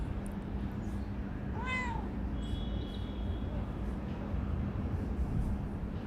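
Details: Single clear arched meow from a chatty, friendly calico female cat that lives beneath a workplace, shy at first then affectionate; one harmonic-rich call near the start, then only constant low droning hum and faint high chirps.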